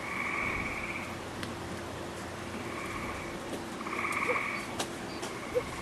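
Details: Gray tree frogs calling within a wolf exhibit on 11 June 2010, lush and green after rain; loud pulsed trills alternate with quieter distant ones, plus a few sharp clicks and knocks.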